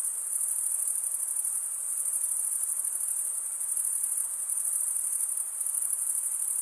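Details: A continuous shrill cricket trill made by stridulation, wing scraped against toothed wing; the thin high tone holds evenly throughout with tiny rhythmic flutters and a brief softening midway, against quiet.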